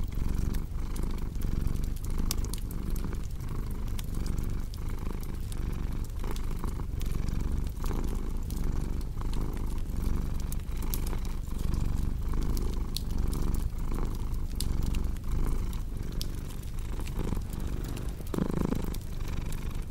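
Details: A cat's low, sustained purr rising and falling in a regular breathing rhythm across the whole stretch, overlaid by frequent crisp fireplace crackles and a brief louder rustle near the end.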